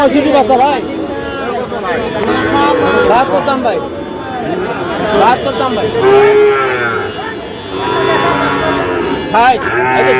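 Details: Sahiwal bull calves at a cattle market, bought on 14 August by a farmer from Cox's Bazar: several drawn-out, wavering moos rise and fall amid loud haggling voices, shouting and crowd chatter.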